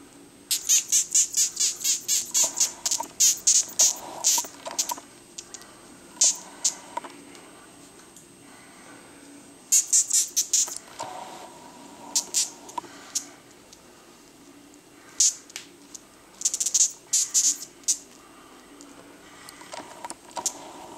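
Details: Death's-head hawkmoth, Acherontia atropos, filmed in Denmark, the only Danish moth that makes a sound: bursts of sharp, high squeaks in rapid trains, pausing and resuming, each burst a few quick clicks with faint lower tones beneath.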